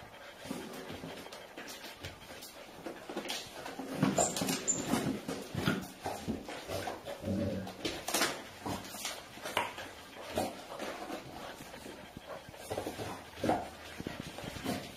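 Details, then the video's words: Golden retriever grandmother trying to escape her grandpuppies indoors; short whimpers and yips mixed with scuffling, pattering bursts that come in quick, uneven clusters across the recording, loudest around the fourth second. "Golden Retriever Grandma trying to escape her Grandpuppies"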